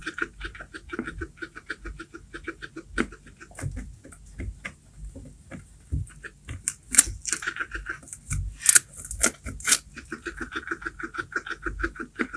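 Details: A guinea pig eating baby corn, a rapid run of crisp, crunchy chewing clicks and snaps.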